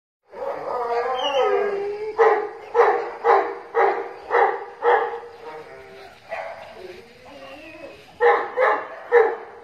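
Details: Dogs fighting and playing with a friend: a burst of whining, rising yelps, then a run of rhythmic growling barks about every half second, pausing, then resuming, with some voices in the background.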